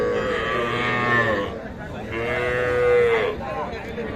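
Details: Lowing from young cattle at Ambari market, among small bulls and heifer calves up for sale: two long moos, the second ending in a slightly falling tone, over a constant hum of people talking.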